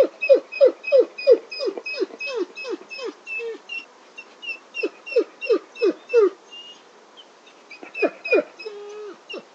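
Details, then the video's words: Whimpering wolf giving quick, downward-sliding whines about three a second, a brief pause midway, then more whines and a short level, drawn-out whimper near the end; no other sounds. "Wolf Whimper"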